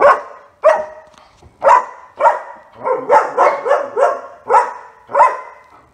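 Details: German Shepherd named Otto, in training with a dog trainer, barking in a run of loud, sharp barks roughly every half second to second, some doubled, with brief pauses between bursts.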